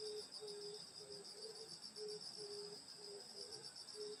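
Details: Rural summer night insects at a grandmother's house: short low chirps spaced roughly half a second apart over a continuous bright high-pitched trilling background.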